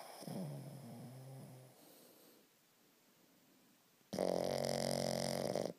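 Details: Boston Terrier asleep and squished, snoring indoors: a low, rough rumbling snore over the first two seconds, a quiet pause with faint breathing, then a much louder, harsh buzzing snore lasting about two seconds before it stops.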